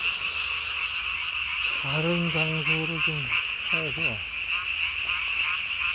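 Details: Night recording from 3 May 2020 of a Japanese tree frog puffing its chin vocal sac to the size of its body, producing a shrill rapid rattle of croaks, with a murmuring human voice in the middle.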